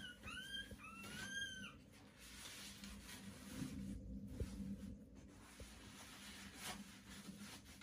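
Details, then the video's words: Newborn Pomeranian puppies, day 18, with a few thin arched squeals in the first two seconds, then mostly rustling and a low background hum. "Pomeranian puppies are born"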